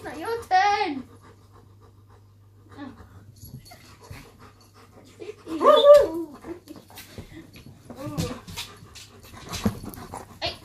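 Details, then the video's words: A German Shepherd named Shadow and a Chihuahua named Poppy squabble over their owner. Three separate whiny, wavering vocal outbursts rise and fall with bent, moaning pitch, separated by quiet gaps with faint shuffling and a low hum. "Shadow the German Shepherd and Poppy the Chihuahua squabble over their owner"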